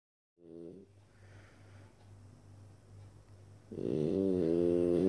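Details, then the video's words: Gaston, a three-year-old French Bulldog, sleeping on his back on the living-room couch instead of his basket, snoring: a low steady rumbling breath, then a louder harmonic-rich snort-like snore near the end. "Gaston le bouledogue français ronfleur"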